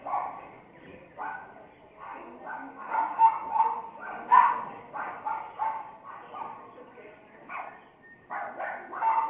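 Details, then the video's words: Miniature Pinscher puppy, very angry, active and agitated: short high yapping barks in bursts roughly once a second, some clipped and whiny, with a person talking over them. "Min Pin very angry"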